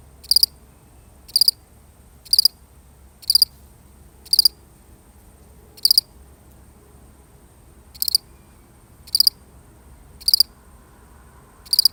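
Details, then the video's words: A single cricket, recorded for real, chirps in a steady rhythm of about one high, triple-pulsed chirp per second, with one longer pause midway; the background is otherwise quiet. "The sound of one lonely cricket"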